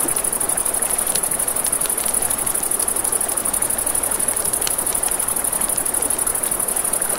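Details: Night crickets by a river keep up a continuous high-pitched pulsing trill, layered over rushing river water, with brief snapping crackles from burning wood now and then.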